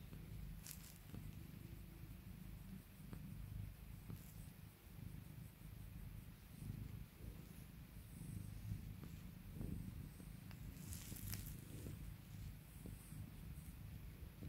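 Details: Cat purring contentedly while being calmed and spoiled by its owner, a low throbbing rumble pulsing with each inhale and exhale over a long stretch, with scattered soft clicks and rustles of handling.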